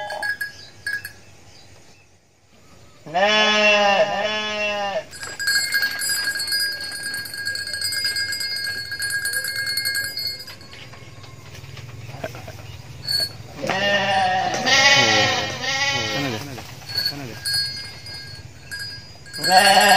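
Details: Mother goat in Indonesia giving two bouts of loud, wavering, nasal bleats, each lasting about two seconds and separated by a long pause. A steady ringing bell tone sounds in the background.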